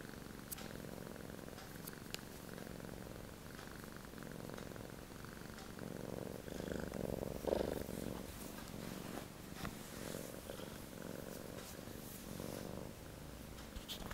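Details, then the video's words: Male Sphynx cat snoring while deeply relaxed, soft rasping breaths swelling and fading roughly every two seconds, with faint clicks in a quiet room. "Snoring Sphynx"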